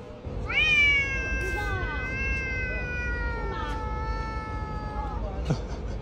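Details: A cat visiting a pet food factory gives one very long, drawn-out meow that starts with a rise and then slowly falls over about four seconds, with background hum and brief thumps.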